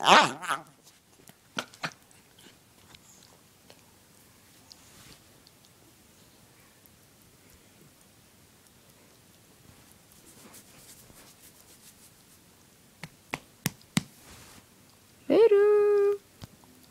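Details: A male dachshund indoors snorts, gives sharp sneezy clicks, then a brief nasal whine-like groan.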